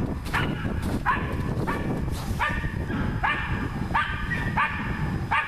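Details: Dog at work on a wild boar, giving a steady run of sharp, rising barks roughly every half to three-quarters of a second against continuous low-pitched background noise.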